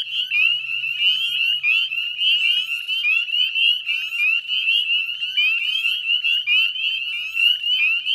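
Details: Northern Spring Peepers calling en masse by the Chezzetcook salt marsh, Nova Scotia, at dusk in May 2020; a steady shrill din of overlapping high upslurred peeps, with a faint low hum briefly underneath.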